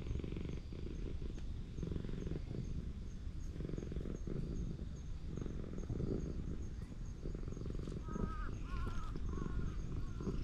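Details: Elderly ginger tabby cat in a park, purring while being petted. A steady low rumbling purr fills most of the recording, then several short high chirping trills near the end. The cat's voice is described as strange.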